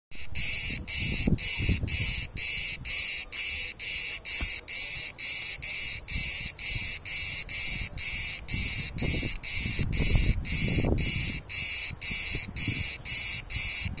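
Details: Cicadas hidden in trees and bushes in Turkey, very loud: a dense high buzzing pulsed in regular bursts about twice a second, with faint low rumbles and background noise beneath.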